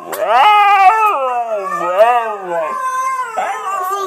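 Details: Male pet husky, normally quiet, howling and 'talking' indoors as recorded huskies play for him: one long wavering, strongly harmonic howl that slides up and down in pitch, dips in the middle, then levels off, lasting about four seconds.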